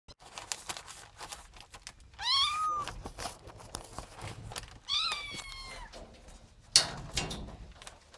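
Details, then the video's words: Ginger domestic cat indoors giving two short rising-falling meows, the second longer and bending downward, with a sharp thunk near the end and faint room noise. "Gatti (cat) Ginger"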